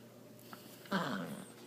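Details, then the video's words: Mya, a female miniature Dachshund, speaks her mind while playing fetch with her extra small tennis ball indoors: one short, loud, harsh bark bursts out after a faint click and quiet room hum. "Dachshund speaks and plays fetch"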